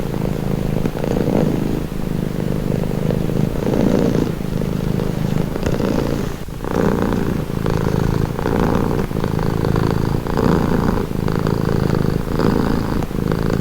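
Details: Purring cat heard close, a throaty low rumble rising and falling with each breath roughly once per second, with a brief pause mid-way before the steady cycles resume.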